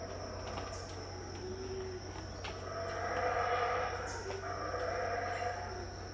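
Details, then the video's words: Around 6am at Tikal in Guatemala, 2018, unseen howler monkeys roar from afar, a hoarse, droning chorus rising and falling in waves, backed by an unbroken high-pitched insect buzz and low hum. "THE SOUND OF HOWLER MONKEYS,TIKAL,GUATEMALA, 2018"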